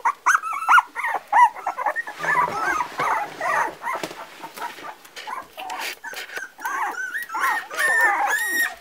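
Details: A litter of four-week-old Parson Russell Terrier puppies squeals and whines in bursts of bent, wavering high notes, with a brief softer stretch midway before another run of insistent whimpers.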